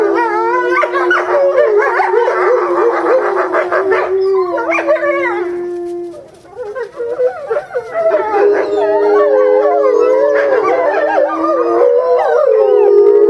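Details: Family of Eastern timber wolves howling together in a Japanese zoo, February, with a female isolated for breeding season; long level howls under busy yipping voices, a brief lull midway, then the chorus swells again.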